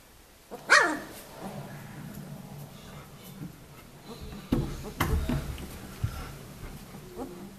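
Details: White Swiss Shepherd puppies of one litter, 19 days old, summer 2014: a sharp high cry near the start, then faint whimpers over steady rustling, with heavier thumps and handling noise around the middle.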